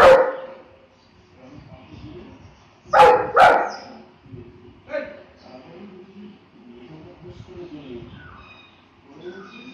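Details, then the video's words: Saint Bernard dog with a single bark at the start, a close pair of loud barks a few seconds later, then a softer bark, with quiet background murmur between. "Dog Saint Bernard"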